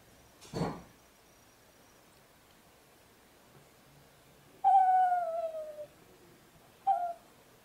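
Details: Indoors with miniature poodles Hugo, a black puppy born April 2013, and Sydney, filmed June 2013: a thump, then a long, thin whimper sliding gently downward for over a second, followed by a brief second whine.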